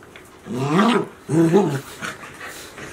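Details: Golden Retriever puppies from Chiro's litter, 73 days old, at Ain Village, filmed 7 July 2018. Two voiced growling barks, each about half a second long, arrive a little under a second apart over a quiet background.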